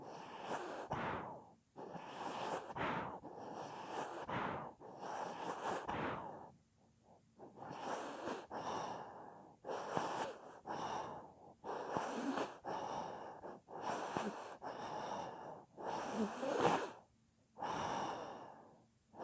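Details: Sleeping pet dog snoring loudly: broad, breathy rasping bursts in a steady rhythm, each lasting about one to two seconds with short quiet gaps between, repeated throughout, no other sounds.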